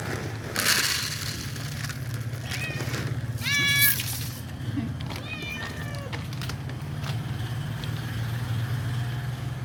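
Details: Pregnant cats begging for food meow repeatedly, several clear wavering meows spread over the stretch, over a constant low mechanical hum in an outdoor setting.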